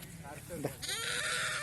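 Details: As a young sheep is caught for a PPR vaccine, it gives a long, loud, wavering bleat after a short burst of men's speech.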